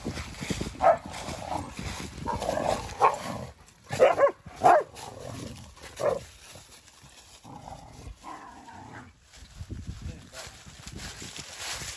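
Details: German Shepherd and Boxer playing outdoors: rough growling and short play barks in bursts, loudest around four to five seconds, then quieter scuffling with a steady high hum in the background.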